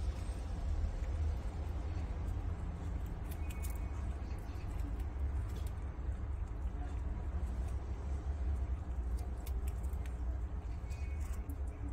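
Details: Steady low rumble of traffic and engine noise with faint jangling and brief voices, no animal calls.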